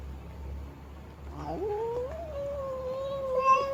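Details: Female cat voicing displeasure while stamping her feet, a single drawn-out yowl that climbs quickly and then holds a steady, slightly wavering tone for about two seconds.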